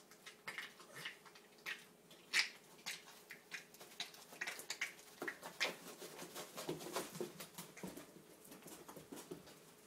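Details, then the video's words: Boston terrier Piper, a two-year-old male with epilepsy, in a violent seizure at night indoors, one of seven within three hours; dense irregular bursts of scrabbling clicks with brief whimper-like squeaks, some sharp peaks. "Violent dog seizure"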